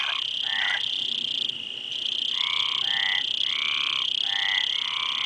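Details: Frogs calling in short grating croaks, a pause after the first few, then a quick run of five or six raspy notes, backed by a steady shrill hiss.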